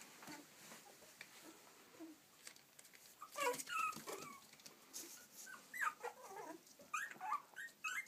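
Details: Yorkshire Terrier puppies in Stockport, Cheshire, UK, giving scattered high, thin whimpers and short yips, clustered in the middle and end with quiet rustling gaps between.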